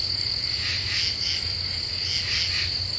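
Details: Common true katydids at night with a half moon, July 2013: a few harsh rasping pulse groups rise over a constant high-pitched insect buzz and low steady hum.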